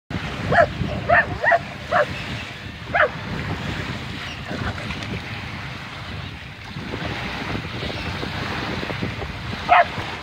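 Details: Two Scottish Terriers, one white and one black, bark in short, sharp bursts at the waves on Wolf Bay, Orange Beach, Alabama, over the steady rush of surf; the white one tries to bite the waves.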